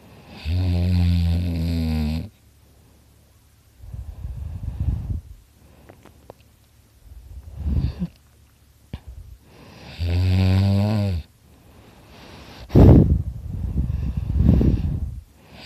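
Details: Dakota the dog, asleep beside his owner, snoring very loudly: long droning buzzy inhalations with a rich layered tone, about two seconds each, separated by softer rasping exhales and short quiet pauses.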